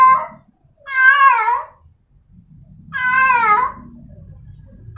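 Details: A female cat in heat calls to a tomcat with two long, drawn-out, quavering meows about two seconds apart. A low background rumble runs underneath.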